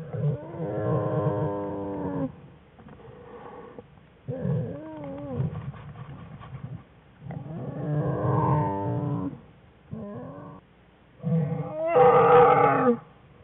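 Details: American black bear cubs playing in a winter den beside their mother on February 21, 2013, a research-study family: repeated loud, buzzy, harmonic cries with wavering pitch, separated by brief pauses and grunts, the final burst the harshest.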